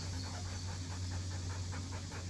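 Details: Rottweiler panting during hot, humid, rainy weather; it pants and coughs only when excited and jumping around, such as on seeing other dogs or children coming home. Quick rhythmic breaths, about four per second, over a steady low hum.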